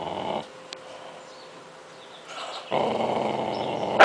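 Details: Angry dog giving a harsh, noisy growl that rumbles for about half a second, pauses, then resumes louder and steadier for over a second before a sharp bark-like burst at the end.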